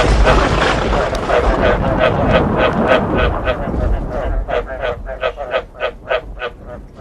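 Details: Frogs croaking alongside thunder, a track meant to make frogs want to breed: loud rain and low rumble at first, fading to leave clear, resonant croaks pulsing roughly three times each second.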